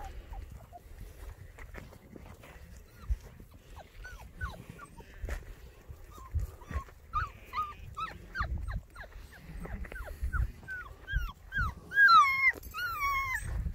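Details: Six-week-old Border Collie puppies meeting livestock for the first time give thin, high whimpers that grow more frequent, then a burst of sharp, rising yips and whines near the end, over low rumbling background noise.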